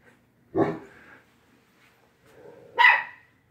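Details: Quidam the dog barking at WAG!, with little 7-pound Bella backing him up; two single barks about two seconds apart, the first deep and throaty, the second higher and sharper.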